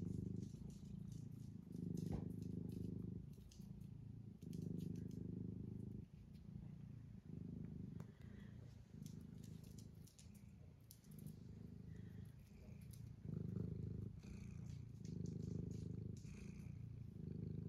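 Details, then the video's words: Mustard, a cat on a regenerative farm in County Kilkenny, Ireland, purring steadily: a low continuous rumbling throb with slight swells and dips, faint clicks and rustles over it. "Sometimes you just need a purring kitty like Mustard to warm you up"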